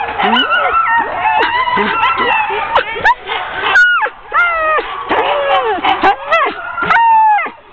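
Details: Hook-up of a ten-dog sled team before a training run, October 16, 2010: many dogs bark and yelp in bursts, with rising and falling whining howls and brief quieter gaps between outbursts.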